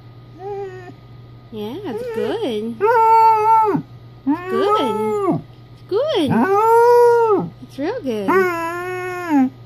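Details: Three-year-old female Basset Hound in a howling conversation with her owner at home; repeated wavering howls, each rising then falling in pitch, about a second or two long, with a human voice faint in between.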